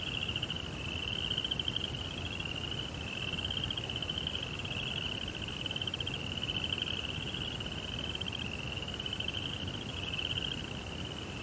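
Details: Night crickets in a Japanese Zen garden beside a koi pond. They give a continuous shrill trill of rapid ticks, swelling slightly in bursts about every two seconds, over a low background hum.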